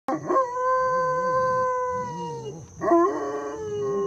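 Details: Great Pyrenees mix dog howling while teaching his brother to howl: long sustained tonal howls with a rich stack of overtones, holding steady then sliding down, a short break, then a second howl begins; a second, lower voice joins.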